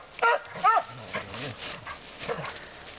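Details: Lucy, a dog out in the woods who enjoys barking a lot, gives two sharp barks close together in the first second. Fainter, lower sounds and rustling follow.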